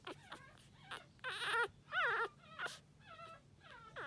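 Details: Energetic young female Toy Poodle whimpering and whining in short bursts, some thin and wavering, two louder, rougher whines in the middle, over quiet room hum.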